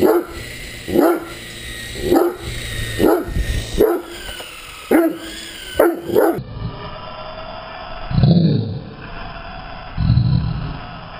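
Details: Great Dane at play with an RC helicopter, giving a regular series of punchy barks about once a second against a whining motor, then two lower, rougher barks after the background sound changes.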